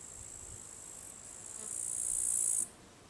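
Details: Summer crickets near a farmhouse give a thin, piercing high trill that swells louder for about a second and then cuts off abruptly, leaving quiet background hiss.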